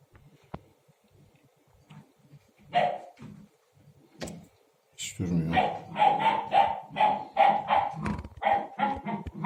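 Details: A young Akbash puppy that has just started barking, playing indoors with its water bowl and chewing cartons, gives a run of high, sharp, quick, uneven little barks while a person talks nearby.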